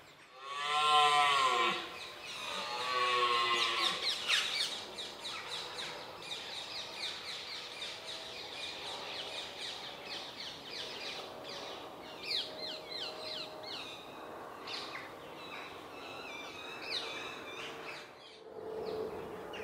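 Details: A red deer stag gives two deep, drawn-out roars during the rut at sunrise in Richmond Park on 5 October 2014, followed by birdsong.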